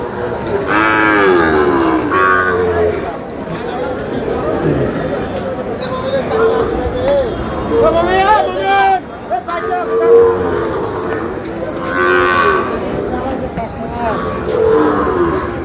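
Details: Sahiwal bull calves, a pair offered for sale in Bangladesh; several drawn-out, steady low moos rise over a busy crowd of chattering voices.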